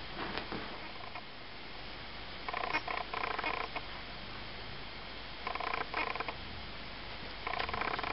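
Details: Eight-week-old Ocicat kittens from the litter of Malika and Frodo, mewing indoors: a short mew near the start, then three bursts of thin, harmonic cries around 2.5, 5.5 and 7.5 seconds over a quiet room hiss.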